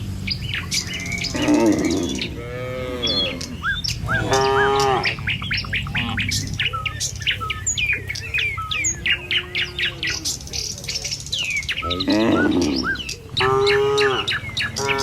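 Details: Morning herd of tame cattle walking a village road to the pen: a few brief, wavering moos rise above near-constant twittering and chirping birds, with low rumbling background noise.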